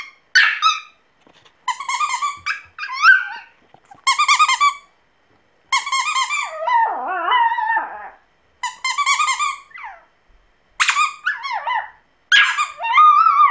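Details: Singing Pomeranian puppy: choppy bursts of shrill pulsed yelps alternate with longer wavering, falling howl-like whines, with brief silences between phrases.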